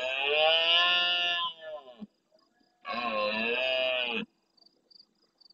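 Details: Large red deer stag roaring intensely at nightfall near a camera in the Doñana National Park marsh at El Rocío, Almonte, Huelva, Andalusia, Spain, answering distant stags. Two long, harsh, harmonic roars, each about one and a half seconds, separated by a pause.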